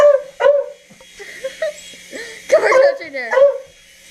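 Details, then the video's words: Domestic dog barking at a helicopter: a quick run of high, yipping barks, some doubled, mixed with a person speaking softly nearby. "Dog Barks 4 Helicopter"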